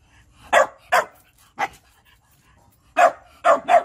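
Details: Food-begging barks from a Shiba Inu: short, punchy woofs, three spaced apart and then a rapid run of three, with quiet gaps between.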